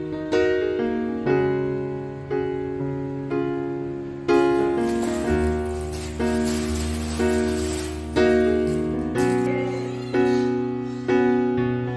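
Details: Gentle piano music plays steady repeated chords throughout, with no animal voice present.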